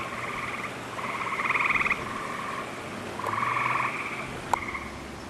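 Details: Gray tree frogs singing in a wolf exhibit on 11 June 2010, with lush vegetation after recent rains as summer approaches; pulsed, buzzy trills about a second long repeat with brief gaps, overlapping into a chorus.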